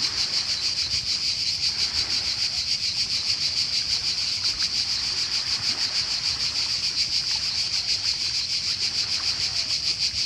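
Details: Steady high-pitched cicada buzz recorded in summer in Croatia, rapidly pulsing and unbroken, with low sea-wave wash and occasional faint splashes in the background.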